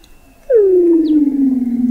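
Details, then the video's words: Weddell seal vocalising under thick sea ice, recorded in November 2017 at an observatory 21 m below the ice in McMurdo Sound, Antarctica: a long, smooth tone gliding steadily downward in pitch. "Song of the Antarctic Weddell Seal, 2 hours - MOO Antarctica"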